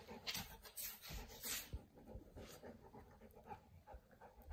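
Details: Pet Boerboel Kimber hiding beneath a blanket, giving hoarse, airy pants in a steady run of short breathy bursts, louder in the first two seconds, over constant fabric rustle and a faint high background hiss.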